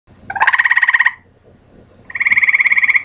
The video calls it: FROG SONG IDENTIFICATION: 2.avi